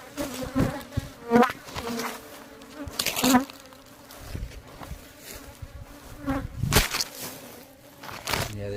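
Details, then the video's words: Aggressive worker honey bees at the hive, loud buzzing swirling around the microphone with repeated close fly-bys, harmonic hum, and sharp handling knocks throughout. "A bit aggressive bee!! and a close call"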